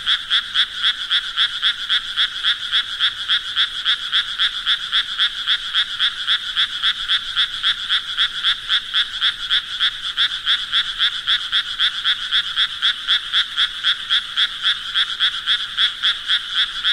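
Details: Croaking frogs heard as a nature sound: an unbroken chorus of quick, rhythmic, grating pulses repeating nearly four times a second, high and bright, steady in loudness throughout.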